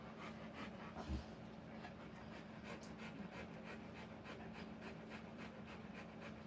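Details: Rottweiler panting while giving birth to puppies: soft rhythmic breaths, roughly two per second, with a low steady hum underneath and one brief louder bump.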